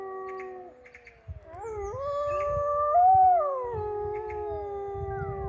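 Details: Several wolves in an enclosure at Polarpark in northern Norway, between Narvik and Tromsø, howl together early on a dull April day. Long, smooth tones slide up and down and overlap in a chorus.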